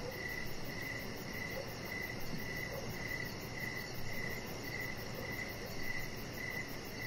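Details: Chorus of crickets in the evening, recorded on a deck with Rocket the chihuahua puppy and decoration lights; around thirteen short chirps repeat about every half second over continuous hiss.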